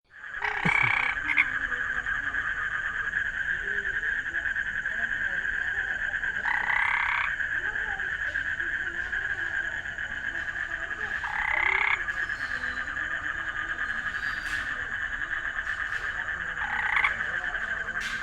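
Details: Frog. Frogs keep up a continuous, fairly high-pitched trilling chorus. Louder, harsher croaks stand out above it roughly every five seconds.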